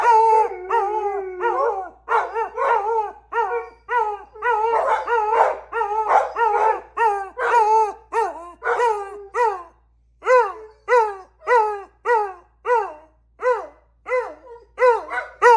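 Beagles give short, mournful baying howls that repeat quickly, more than one per second.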